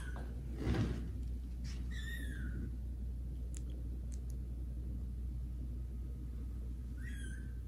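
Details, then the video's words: Kittens Caramel and Zephyr, grown and exploring other rooms of the house, meet the adult cats Kira and Daddy indoors; two high, falling meows with bright overtones ring out, one early and one near the end, over a low room hum. "kittens meow loudly and meet cats Kira and Daddy"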